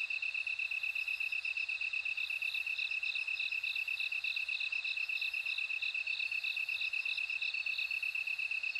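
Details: Several bell crickets heard at once, one giving an unbroken rapid metallic trill while another rings out regular, well-spaced chiming pulses, both holding a very even rhythm for the whole stretch.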